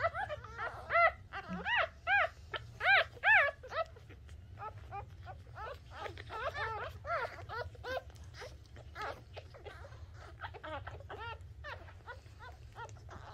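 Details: Newborn Shih Tzu puppy at the moment of birth, indoors: high, arched squealing cries with clear harmonics, loud bursts about once a second at first, then softer rapid squeaks; low background hum throughout.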